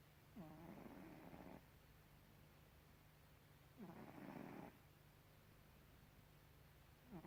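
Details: Snoring cat Gribouille: two long rattling snore breaths about three seconds apart, each starting with a short rising catch and then a rough, grainy buzz. A third snore begins at the end, over a low steady hum.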